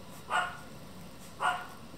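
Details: Yorkshire Terrier giving two short, bright barks about a second apart, each a brief burst, over a quiet steady background hum.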